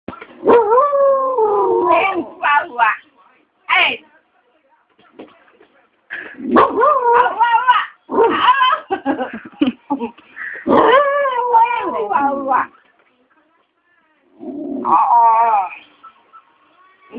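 An Aspin dog 'talks' in drawn-out, wavering yowls and whines that bend up and down in pitch.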